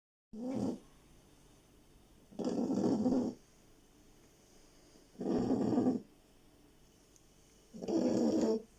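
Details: Very sleepy pet beagle snoring: rough, rasping breaths under a second long, repeating about every two and a half seconds, with quiet pauses between.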